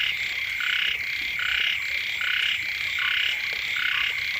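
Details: Frogs croaking by a house when the rains first come: rapid, raspy bursts from several animals answering one another about once a second, with a thin continuous drone behind.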